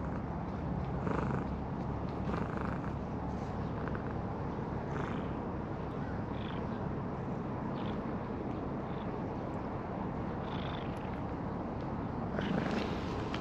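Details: Stray calico cat with a heart-shaped marking, at a fishing port, purring while being patted on the lower back; low steady purr under soft rhythmic patting thumps, with a constant outdoor hum behind.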